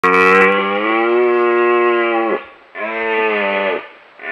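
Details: A red deer stag in the Scottish Highlands gives long, moaning rutting roars in autumn, the second roar shorter than the first.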